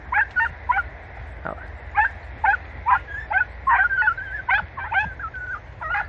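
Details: Podenco hounds of Campo Arañuelo, Spain, hunting in bramble: sharp, high yelping barks in irregular bursts, roughly two a second, several overlapping, with a few drawn-out whining cries between them.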